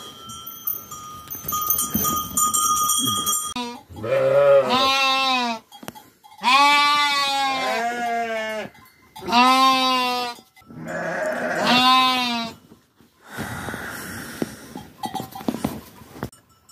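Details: Domestic sheep bleating during a day of care on the farm: a series of wavering, nasal bleats, each about a second long, come in quick succession after a brief bright jingle of bells at the start.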